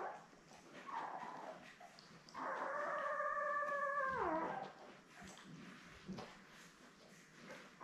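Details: A Labrador Retriever puppy, one of seven born May 24, 2021, to Belle, on a live puppy cam, gives a long, steady, howl-like whine lasting about two seconds that drops in pitch at the end. A shorter whimper comes before it and soft rustling follows.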